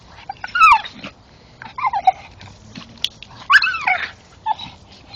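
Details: Male Staffordshire bull terrier excitedly chewing a tree stump in darkness, letting out loud, high, downward-sliding whining squeals in three main bursts, with quieter grunts and chewing between them.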